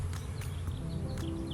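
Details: Honey bees give a steady, low drone during a hive inspection; the humming swells as they grow agitated because someone is standing in front of the hive entrance.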